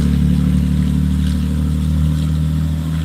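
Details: A steady low engine hum from an idling vehicle, with no animal sounds.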